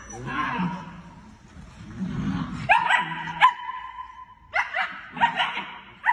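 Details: Several German Shepherd puppies cry with long, level whines and sharp yips, the whines held for up to a second, overlapping one another, with low voice-like murmuring at the start.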